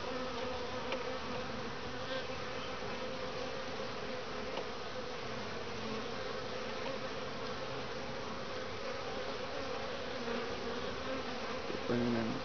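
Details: Honey bees at a top-bar hive in Lynchburg, Virginia, bringing in grey and orange pollen on a mild 60°F February day in midwinter; a steady, dense hum of many bees flying, with a brief low drone near the end.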